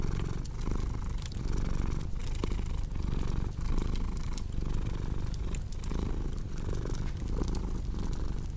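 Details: Purring house cat, low buzzing rumble rising and falling in regular breath cycles, with scattered snapping clicks of a fire crackling nearby.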